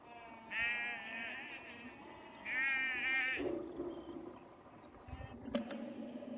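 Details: Sheep moved down a lane by a calling farmer near Cefn Coch, Powys, Wales, 31 March 2021; two distinct trembling bleats about two seconds apart, followed by a softer lower sound and light knocking.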